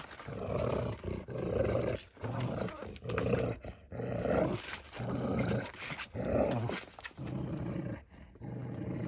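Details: Dagmar the chug plays with a pup, giving a steady run of throaty, rough growls, each lasting about a second, about eight in all, with brief pauses between them.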